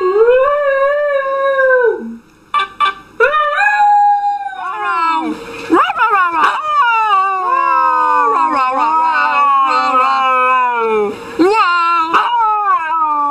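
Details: Dog singing and howling in a funny compilation: long wavering howls with many sliding pitch bends and yodel-like breaks, a brief pause early on, then near-continuous warbling howls over about thirteen seconds.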